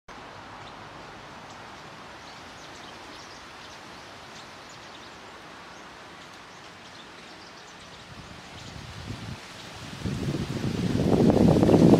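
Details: Steady outdoor background noise with a rising rumble and rustling near the end; no clear animal call stands out.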